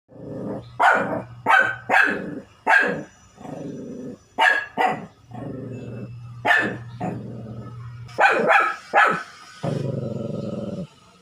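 A Shih Tzu gives a run of sharp, high barks, some in quick pairs, between low growls.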